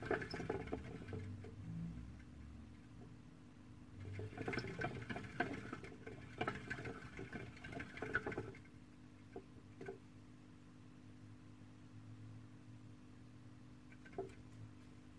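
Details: Caged female Syrian hamster going about her activities in an Ikea enclosure, filmed on a Samsung Gear 360; rapid rustling and scratching patter from about four to eight seconds, then sparse clicks and steady hum.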